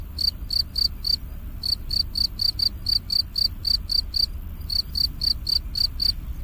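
An insect sings short, high, pure chirps, about four each second, in brief pauses between runs.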